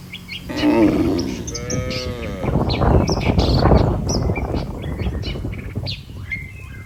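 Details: Cattle in a herd being brought to the barn by a herder; a brief low call followed by a longer harmonic moo, then a rumbling mix of shuffling and noise, with scattered bird chirps overhead.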